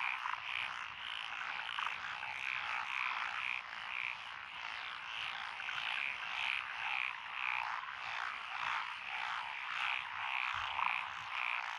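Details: Chorus of frogs in lotus paddy fields beside a country road, Echizen, Fukui, Japan, June 2021: continuous overlapping croaking with short whistled notes repeating about every half second in the background.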